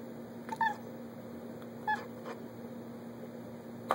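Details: Olivia, a pet cat indoors watching squirrels she cannot reach, gives two short, bright, meow-like chirps about a second apart over a steady low hum.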